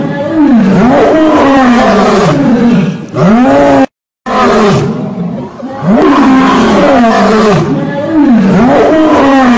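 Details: Lion roaring: deep, throaty, arching roars and grunts repeated in two loud bouts, with a brief silent break between them.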